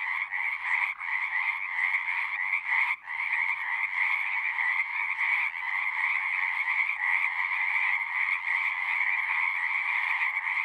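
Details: A chorus of singing frogs forms an unbroken, buzzy trilling drone with two bright pitch bands, the texture flickering constantly as many callers overlap, one brief dip near the third second.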